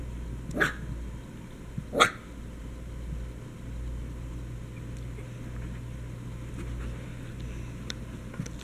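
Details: Dog at play among a dachshund puppy, an Old English sheepdog and a basset hound; two sharp, bright barks about one and a half seconds apart, followed by quiet with a steady low hum.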